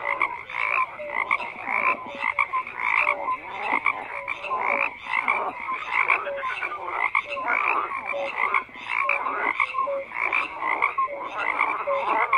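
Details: A chorus of frogs croaks continuously, many overlapping rasping calls stacked with brief whistled notes, pulsing in quick irregular waves with no other sounds.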